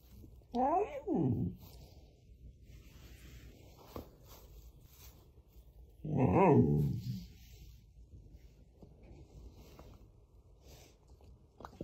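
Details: A Samoyed dog talking to wake its owner, who pretends to sleep, indoors in a small room: two short wavering whiny vocal bursts near the start, then a longer louder moan about six seconds in, quiet between.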